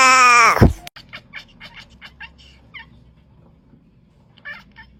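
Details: A cat making a weird sound: one loud, harmonic-rich cry falling in pitch that stops abruptly, then a run of soft, short, clicky chirps and a faint later burst.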